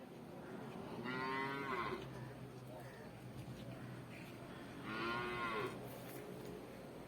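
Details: Water buffalo calves at the Pallikkal Kattupusseri market in Thiruvananthapuram district: two loud, hoarse bawling moos about four seconds apart, each under a second long, with faint voices between them.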